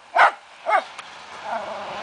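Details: Two sharp, high barks, half a second apart, from a fox terrier during a wild boar hunt.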